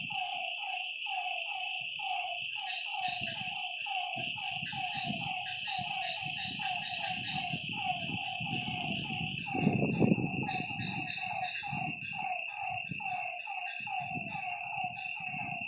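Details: Lakeside frogs at night keep up rapid, overlapping croaking notes, several per second, beneath a continuous shrill high drone; low rumbling bursts of noise rise midway through, loudest around the tenth second.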